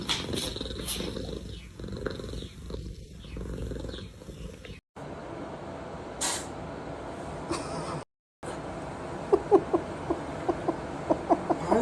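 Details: A domestic cat in a noisy indoor setting, with muffled rumbling and brief gaps. In the final three seconds come a run of short, harmonic, chirping calls, repeated about twice a second and growing louder.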